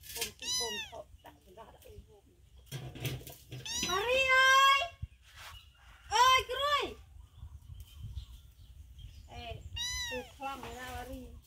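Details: Cat named Sross, a mother staying close to food with her baby kitten while hungry; loud, drawn-out meows rise then fall, coming in bursts around one, four, six and ten seconds, with quiet pauses between them.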